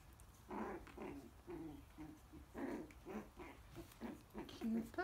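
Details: Coton de Tulear puppies, almost four weeks old, playing and biting in their pen while their mother looks on; short low growling grunts and squeaky yips come in uneven bursts about every second.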